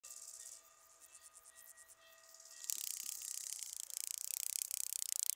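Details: Rattle grasshopper (Psophus stridulus) at Boltigen, Switzerland, 7 September 2023, recorded with a Pettersson D 100 ultrasound detector; after faint pulsing and steady tones, a loud, fast, very high-pitched crackling rattle of rapid clicks begins midway and continues.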